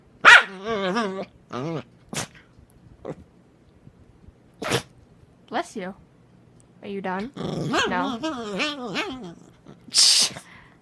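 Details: Puppy named James making weird noises: bursts of wavering, warbling whines and grumbling growl-like yelps with bending pitch, separated by short pauses, plus sharp noisy bursts near the start and close to the end.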